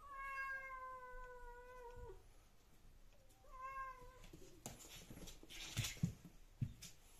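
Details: Domestic British Shorthair cats in a playful fight: a long, steady, harmonic meow lasting about two seconds, a shorter meow after a pause, then knocks and scuffling thumps as they tussle.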